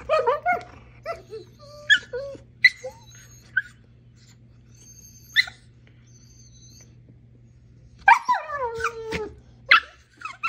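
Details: Female Siberian Husky playing with a dachshund; scattered short yips and whiny squeals, then a burst of sliding, whining yelps near the end, with a steady low hum behind.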